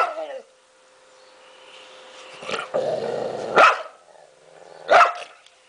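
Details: An angry dog gives loud, sharp barks at the start and again twice about a second and a half apart, with a low rough growl rumbling between them; faint chirps sound in the background.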